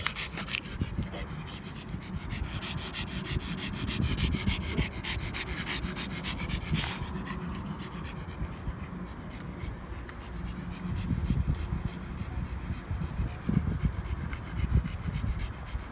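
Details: A pet pug mobbing someone close up: rapid, noisy panting and snuffling breaths run throughout, with rubbing and scraping sounds and a low rumble underneath.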